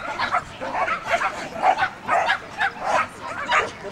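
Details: Enthusiastic barking from a female dog running a Performance Speed Jumping class: rapid repeated barks about twice a second over steady background chatter from people nearby.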